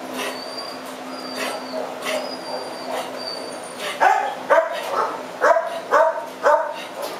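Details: Female French Bulldog at a shelter, recorded 4 July 2010; she has hip joint problems and crawls rather than walks. After four seconds of quiet background hum, a series of short, sharp yaps comes about every half second, six in a row.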